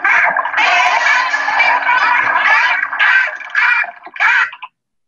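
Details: Atlantic spotted dolphin from a free-ranging dolphin society giving burst pulses: harsh, buzzy bursts of rapid pulses, heard during fighting and aggression.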